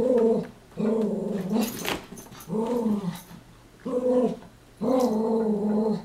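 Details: Two male Chihuahuas at play, chasing each other and wrestling; drawn-out, tonal growling whines in five bouts of roughly a second each, with short quiet gaps and a few soft scuffling thumps between them.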